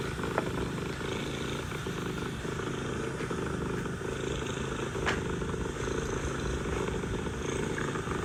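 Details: Continuous deep, throbbing purr from a mother cat communicating with her kittens, evenly pulsed and unbroken for the whole stretch, with faint clicks and a low steady background drone.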